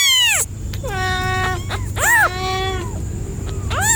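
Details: Domestic cat giving a series of drawn-out, wavering meows, some arching up and falling in pitch, with bright harmonics, over a steady low background hum.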